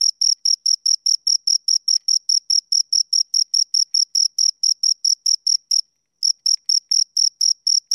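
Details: Two crickets produce quick high chirps about four per second, then fall silent for half a second before resuming the same rhythm; no other sounds.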